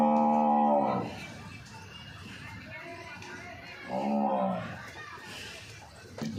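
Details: Pregnant local-breed water buffalo being shown for sale moos twice: a short, deep, steady bellow at the start and a second swelling moo about three seconds later, with speech and low room noise between calls.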